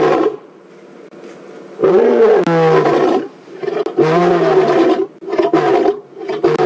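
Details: Male lion Ginger Matimba, filmed on a WildEarth evening safari drive on April 4, delivers powerful roars very near the vehicle. Three loud, rich bursts arrive roughly every two seconds, separated by brief near-silent pauses.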